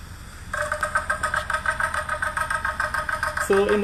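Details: A Puerto Rican crested toad gives its mating call, a rapid series of low, throaty pulses; the species calls from the edges of small temporary breeding pools.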